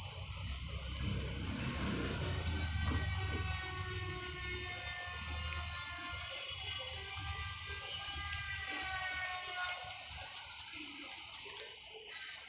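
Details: Crickets trill after rainfall, a high, rapidly pulsed and unbroken chirping; faint lower tonal lines rise and fall behind it, with soft low background noise early on.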